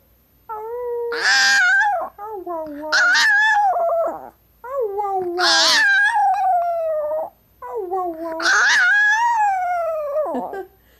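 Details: Female Chihuahua Tinkerbell howling in four long, drawn-out bouts. Each bout wavers in pitch, then slides downward at its end, with short quiet gaps between bouts.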